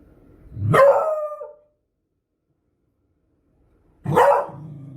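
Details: Beagle dog sounding two forceful barks, the first stretching into a brief baying howl that falls away, the second abrupt and followed by low rumbling.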